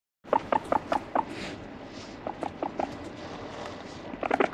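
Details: Pet guinea pig in a startling 'attack' with no background music: a quick run of five short chut-like pulses with tonal peaks, then quieter clicks, and another burst of pulses at the end.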